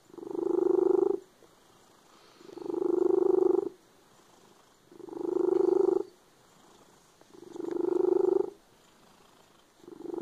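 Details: Loud purring from a cat, a steady low throaty rumble that swells and fades in even waves, about four long breath cycles with brief near-silent pauses.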